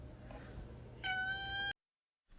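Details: Pet cat giving one short, flat, steady meow lasting under a second over a low indoor hum, then silence.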